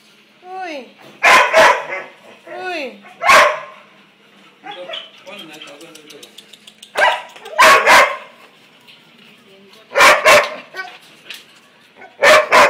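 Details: Labrador Retriever dog barking in loud, sharp single barks and close pairs spaced a few seconds apart, with rising whiny vocal sounds and people talking between the barks.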